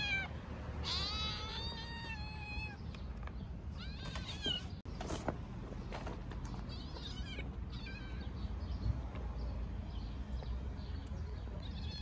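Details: Stray mother cat and kitten in Istanbul meowing loudly from hunger: one long, clear, slightly falling meow early on, then several shorter, fainter meows scattered through the rest, with steady low street rumble and a brief dropout midway.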